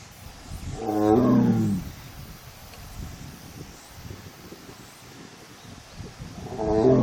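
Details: Korean tiger, a female alone in the enclosure at a forest arboretum's tiger forest in South Korea on 1 September 2022, during her heat, giving one mournful low moaning cry early and another starting at the end, quiet between.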